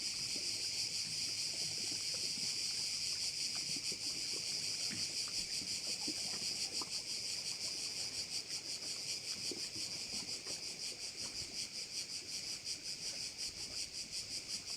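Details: On Korčula, beside one of its bays, many crickets fill the air with an unbroken, high-pitched shimmering drone, rhythmically pulsing roughly three times per second; only faint low clicks and rustling sit beneath it.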